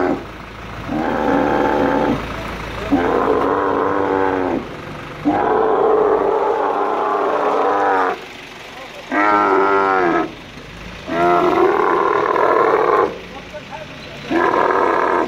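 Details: Angry male dromedary camel being moved by crane at the camel market in Al Ain, UAE, on 21 March 2017: loud harmonic bellowing roars, each about one to two seconds, repeated in a steady series with short gaps.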